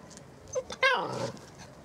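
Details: Seven-week-old Saluki puppies from one litter; a single short yelp slides into a clear, high whine that falls away, with faint squeaks and soft rustling just before it.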